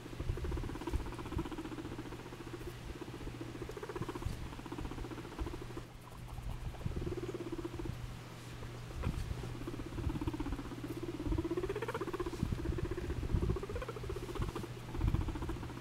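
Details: Domestic guinea pig behaving strangely as it moves; long stretches of low, throbbing purr-like rumbling with occasional short rising squeaks near the end, plus soft shuffling and pattering.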